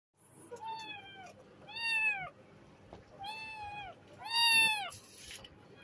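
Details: Mother cat with her kittens while eating; four clear meows spaced about every second and a half, each a falling, harmonic-rich wail, the last loudest, with faint chatter in a small room.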